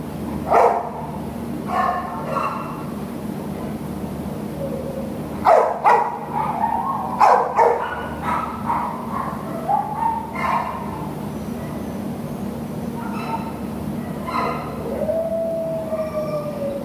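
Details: American Cocker Spaniel available for adoption: scattered sharp barks in short bursts, then rising and falling whining and a long sliding whimper near the end, over a steady low hum.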